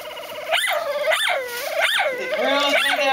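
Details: A dog barking like a plastic squeeze toy makes four squeaky up-and-down yelps about every 0.6 seconds, linked by a wavering tonal whine.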